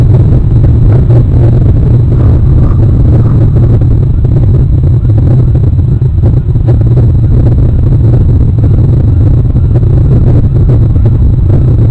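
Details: Steady low engine rumble, like a passing vehicle or wind buffeting, fills the whole recording with no animal calls.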